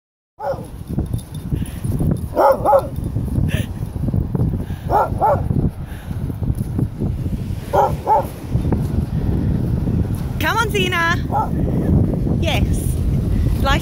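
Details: A happy senior female dog, almost 11 and formerly a sled dog from Finland, on Southsea beach in Portsmouth, Hampshire, gives short, sharp barks at irregular intervals over a heavy rumble of wind and surf, while a person speaks nearby.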